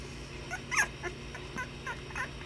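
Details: Puppies playing make a few brief, thin whimpers and a sharper rising yelp, scattered unevenly, against a low steady hum.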